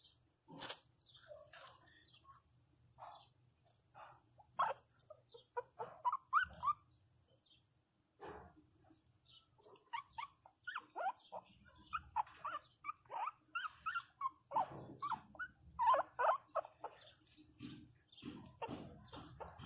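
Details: A 27-day-old female pinscher puppy cries hard after falling and hitting her head, giving quick, uneven runs of high, wavering whimpers and sharp yelps with brief pauses.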